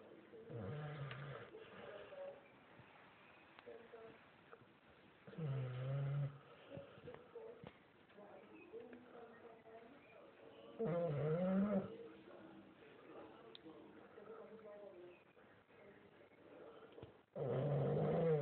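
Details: A sleeping dog snoring: low, rough, droning breaths in short bursts repeating about every five to six seconds, with quieter breathing and faint room noise between them.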